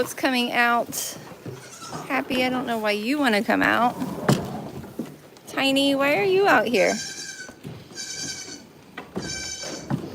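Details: Goats at a farm letting out loud, wobbling bleats in two main bouts, followed by several thinner, steady, higher-pitched calls.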